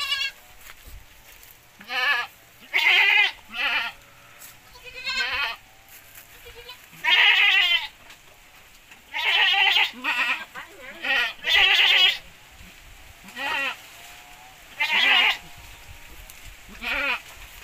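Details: Javanese goats crossed with Boer, bred for bigger offspring with better posture, bleat repeatedly in loud, shaky, nasal bursts at irregular intervals, several animals calling in turn, some calls overlapping, with steady low hiss between them.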